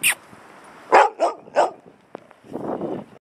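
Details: Labradoodle barking during play while another dog holds a squeaky ball it wants. Three sharp, loud barks come in quick succession about a third of a second apart, followed by a lower rough grumble. A person speaks briefly before the barks.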